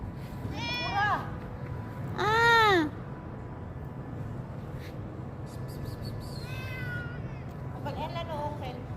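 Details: Domestic cat, said to be hungry, meowing indoors: several arched meows rising then falling, a loud one near two seconds, two softer ones later, with a person speaking Tagalog to it over a steady low hum.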